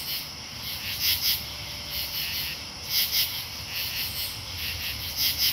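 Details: Katydid chorus in Marlborough, Connecticut, on August 8, 2011: high, raspy clusters of two or three pulses repeating about every second over a steady insect hiss, with a low rumble beneath.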